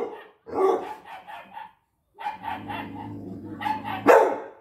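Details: Floki, a six-month-old UKC American Pit Bull Terrier, barking while watching dogs on TV: a few short harmonic barks and yips, a pause, then a strained, rising bark ending in a sharp loud yelp.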